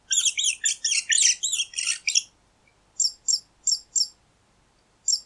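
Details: Mouse squeaking: a dense, rapid jumble of thin, high squeaks for about two seconds, a short pause, then single sharp high squeaks repeated roughly every third of a second, in a quiet setting.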